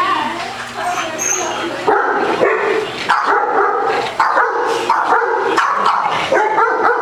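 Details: A Basset Hound at a dog day care in Las Vegas, Nevada, plays with a ball and gets the zoomies, giving loud, harmonic barks and yips with human voices behind.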